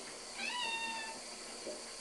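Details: Domestic cat at bath time indoors giving one clear meow of about two-thirds of a second, rising slightly then gliding down, over a steady faint household hum.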